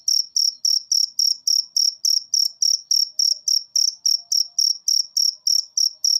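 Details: Cricket chirping, a recording meant to get lazy cage birds singing; high, bright pulses repeated steadily about three times a second, with nothing else heard.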